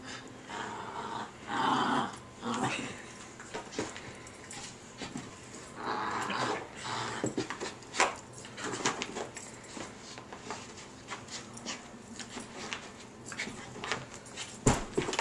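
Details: Puggle at play, swinging from her rope indoors, growling in rough bursts again and again over fifteen seconds, mixed with thumps, scuffles and rope noise.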